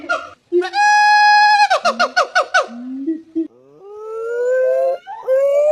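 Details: Monkey vocalising in loud tonal calls: a sustained harmonic note, a burst of quick stuttering pulses, then low grunts and long, slowly rising whistled glides.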